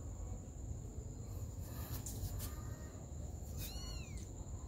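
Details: Mother cat caring for her baby kittens; one short, high, arched meow with clear overtones near the end, heard over steady low rumbling background noise and a faint constant high tone.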